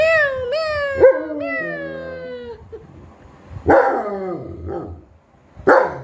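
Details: German Shepherd named Rocky following his mom: drawn-out, tonal whining cries that slide and waver for over two seconds, then two harsher, noisier yelping bursts separated by quiet.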